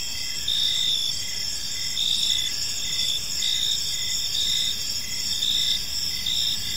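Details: Evening park crickets: bright, high, rapidly pulsed chirps in short bursts repeating about twice a second, layered over a continuous thin shrill whine and a faint low hum of distant noise.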